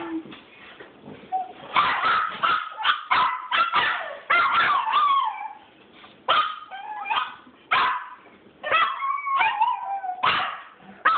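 A pack of dogs joins in a chorus of howls, each voice rising and falling in wavering, overlapping tones. Short yips and whimpers break in between the longer drawn-out notes.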